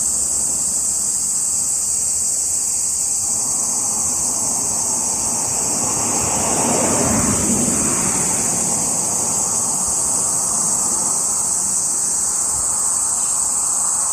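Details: A steady shrill cicada drone, recorded 17 July 2021, runs unbroken. A car swells past midway, its whoosh rising and fading beneath the insects.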